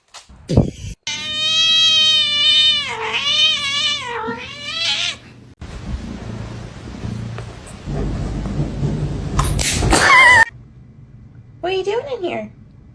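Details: Kitten meowing: a run of long, loud, drawn-out meows with wavering pitch in the first five seconds, then a quieter noisy stretch, a sharp high squeal, and one last short meow near the end.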